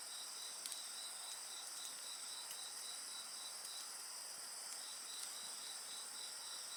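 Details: Insect voices accompanying a crackling fire, bright sustained high trills and a quick regular pulsed chirp, punctuated by a few sharp wood snaps.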